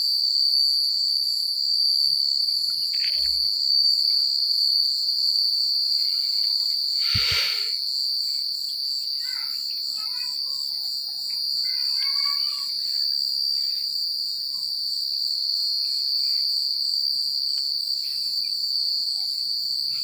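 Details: Countryside crickets at night produce a steady, high shimmering trill throughout, with a sharp knock or rustle midway and a few faint scattered sounds in the background.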